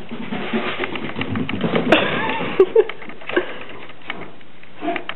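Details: Mini Dachshund growling indoors, rumbling low and uneven with a few short, higher whiny notes and sharp bursts, while a person speaks to it in a small room.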